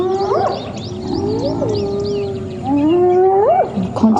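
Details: A spotted hyena clan on a morning drive attacks one targeted individual, biting its ears, with sub-adults present: drawn-out tonal contact calls swooping upward and breaking into higher squeals as the victim struggles to escape.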